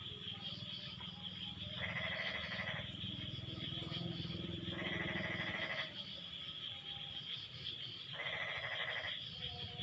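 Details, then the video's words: Once the rain has eased, frogs trade calls: three loud bursts of rapid, raspy pulsed croaks, each about a second long, spaced roughly three seconds apart over a constant high drone. "Suara Kodok No Copyright sangat MERDU saling BERSAHUTAN"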